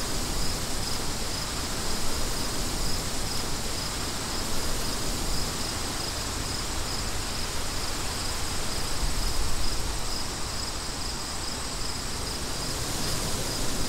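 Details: Crickets chirping in a wind-swept outdoor soundscape: thin, high, evenly spaced chirps repeat about twice a second throughout, riding over a loud, steady rush of wind that fills the low and middle range.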